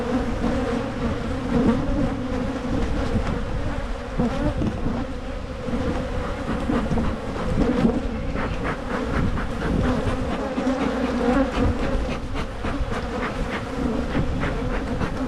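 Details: Michigan honeybees drone steadily as their hive is split to prevent swarming. The deep, even buzz fills the whole stretch, with scattered clicks and taps in the second half.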